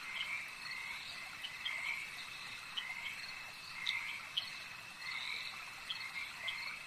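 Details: Lakeside frog chorus: continuous layered croaking trills swelling and fading in waves, backed by a constant high-pitched buzzing drone and occasional short bright chirps.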